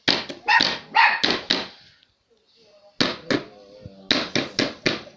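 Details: Toy poodle barking as a house guard in response to knocking on the door: short bursts of sharp, high yaps, a two-second pause with faint sounds, then more quick barks.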